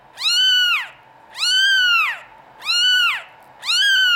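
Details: European-line Norwegian Forest Cat kittens in a cattery give clear, drawn-out mews, each arching up then sliding down, four in quick succession about one per second; a quiet room behind.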